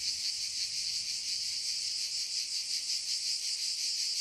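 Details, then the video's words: Cicada song in a forest, a constant high electric buzz with gentle wavering pulses, no breaks and no other clear sounds. "Le chant des CIGALES"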